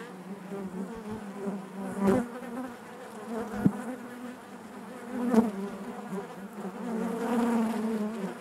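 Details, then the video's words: Steady hive hum of honey bees, a low layered drone punctuated by a few sharp clicks or knocks, growing somewhat fuller and louder toward the end. "bees therapy hive natural buzzing sound"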